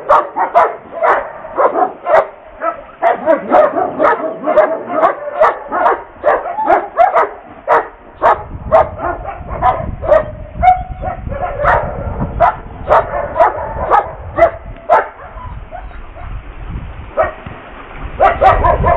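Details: During obedience work in the Czech Republic, a sable German Shepherd police K-9 prospect gives a fast, steady run of sharp barks, about two each second; low rumbling background noise rises after the midpoint.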